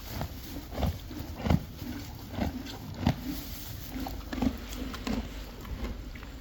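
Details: Friesian horses and foals munching hay, rhythmic crunchy grinding bites in quick succession, some louder than others, over a low continuous hum.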